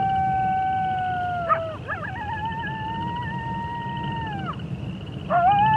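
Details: Wolf howling: long, steady tones that hold level and then slide downward, with a second voice overlapping, a brief break, and a new rising howl near the end. Low rumbling noise runs underneath throughout.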